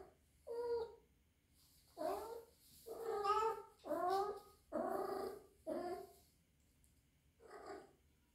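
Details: Young rescued female kitten of three months, living indoors and suspected to be in heat, calling in rough, wavering yowls that rise and fall, six loud cries in quick succession then a pause and a softer final cry.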